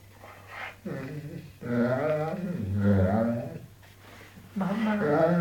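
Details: A pet dog, said to say "mamma", gives drawn-out, wavering, moaning vocal sounds with a mid-pitched tone in two long bursts. A person talks in a small indoor room between the sounds.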